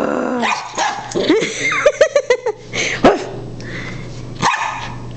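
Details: A dog gives a quick run of about five sharp, yelping barks midway, framed by a few rough, growly whines, with a person's excited voice talking nearby.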